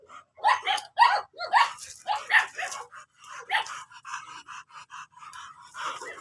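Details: At a mating stud session in Imbalbalatong, Pozorrubio, an American Bully gives a rapid series of sharp yelps and whines, about two per second, strongest at first and fading into softer, quicker whimpers.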